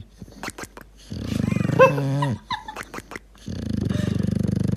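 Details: Sleeping dog snores and gurgles, a long low rattling snore with a wavering, gurgling tone in the middle, a short pause, then another steady pulsed rumble; small clicks and faint room sounds between.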